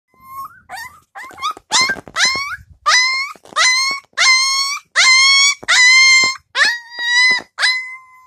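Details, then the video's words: Husky puppy shut in an indoor puppy pen, upset and complaining to be let out: a run of high, tonal whines and yelps, some rising then flattening, in bursts roughly every half second to second, getting louder and longer toward the end. "Nacho the baby Husky is Complaining"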